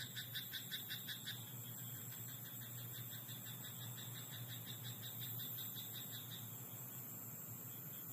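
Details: Rice paddy at night with a frog's short burst of rapid, pulsed croaks at the start, then fainter croak trains later, all over a steady high tone and a low background hum.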